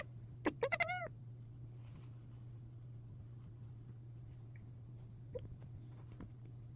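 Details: Female pet cat making strange, seemingly excited sounds: a quick burst of four short, chirpy, arching meows within half a second, then mostly quiet with a constant low hum and one faint brief chirp later.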